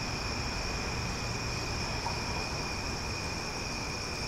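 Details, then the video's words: Summer-night cicadas in Omaha, loud: continuous shrill insect drone holding steady pitch throughout, layered high bands over a low, rumbling background noise. "Cicada Sounds for Sleep"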